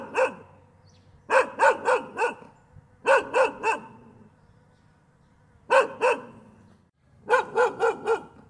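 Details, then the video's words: A dog barks on and on in clustered volleys of two to four sharp barks, about five volleys across the stretch, with short silent gaps between them. "Tiếng con Chó sủa gâu gâu gâu liên tục"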